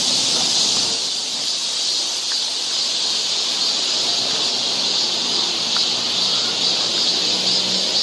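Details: Summer cicada chorus in a Korean forest near Seoul, a loud continuous shrill drone with no pauses, steady in volume, with a few faint soft sounds in the background.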